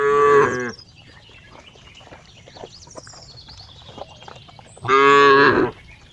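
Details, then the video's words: Cow mooing twice, each call short and loud, under a second, rich in harmonics and slightly falling, separated by about four seconds of quiet with faint rustling and a thin high whistle-like background sound. "cow funny sound"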